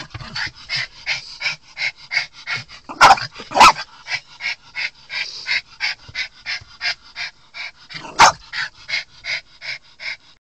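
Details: Twelve-year-old Miniature Pinscher Choco, hostile to other dogs and agitated after seeing two: steady rapid series of short high yips, roughly three per second, with three louder sharp barks standing out.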